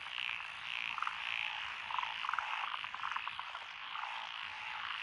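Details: Dense chorus of frogs calling in lotus paddies in Echizen, Fukui Prefecture, Japan, June 2021, including Japanese tree, black-spotted pond, wrinkled, Schlegel's green and forest green tree frogs; continuous mid-pitched trilling croaks with sharper pulsed notes scattered throughout.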